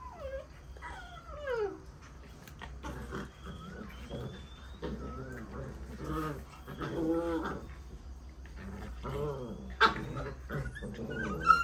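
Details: Playing puppies: high whines sliding steeply downward open the recording, followed by rhythmic, harmonic, growling yelps and whimpers in uneven bursts, with a thin whistle-like tone and a low background hum.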